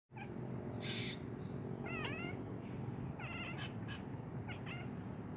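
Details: Domestic cat calling to squirrels on a telephone wire, answering their chatter; three bursts of short, wavering, harmonic chirps spaced about a second apart, over a steady low rumble with a few sharp clicks.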